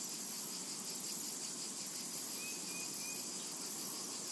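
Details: Steady, shrill insect buzzing from cicadas in a summertime meadow, a constant hiss without gaps over a low background murmur, with two or three tiny whistled bird notes near the middle.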